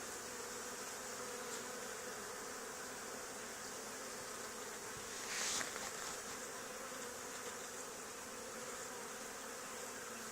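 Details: Swarm of honey bees settled on an old barn wall where a hive had been removed two days earlier, giving a continuous, dense buzzing drone at low level, unbroken for ten seconds, with one brief hiss midway.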